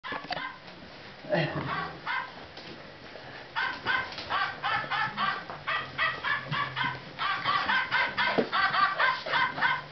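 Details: Golden retriever puppies, 58 days old, playing with their owner: rapid, regularly pulsed high yips and squeaky barks run in bursts through the second half, with a woman's voice speaking in German near the start.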